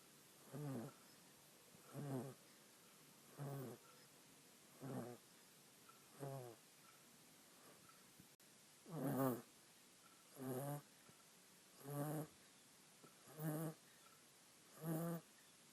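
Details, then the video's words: A little female monkey sleeping on her owner snores in a long, regular series. About eleven short, raspy, low breaths repeat every second and a half, some slightly louder and buzzier. One brief click sounds midway through a calm indoor setting. "Cute Little Monkey Snoring While She Naps"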